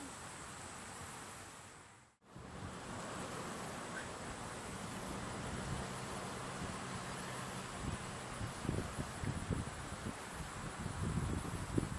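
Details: Steady wind and rustling with a brief dropout near two seconds, then low thumps and handling noise toward the end; no clear animal voice.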